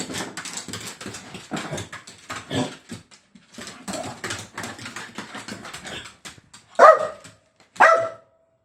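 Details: Dog barking at its bone; mostly scratching, rustling and gnawing-like noise with muffled sounds, then two clear sharp barks near the end.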